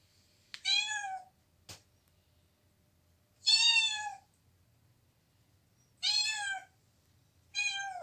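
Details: Domestic cat giving four separate meows, each drawn out and slightly falling, spaced two to three seconds apart in a quiet room, with a single sharp knock between the first two.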